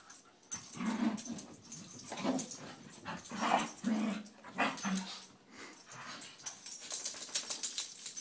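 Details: Scottish Terriers McGee and Mackie wrestle together in play, giving low rumbling growls in repeated short bursts about every half second, mixed with scuffling, snorts and the rustle of bodies moving in a small room.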